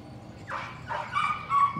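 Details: Patterdale Terrier pups at evening rat work in their pen: three short, rising yips in quick succession, each brighter and more insistent than the last, over a low background hum.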